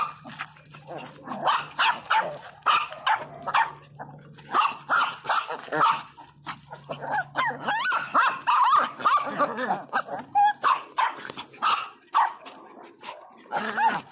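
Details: A Pinscher named Teco indoors, loud and agitated: bursts of sharp, harmonic barks and yelps, several in quick succession, overlapping with a person talking and calling to the dog throughout.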